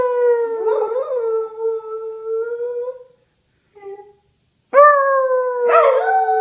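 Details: A female whippet howls indoors: a long, slightly falling tonal note of about three seconds, a sudden gap with only a faint short sound, then a fresh howl starting high and sliding slowly down.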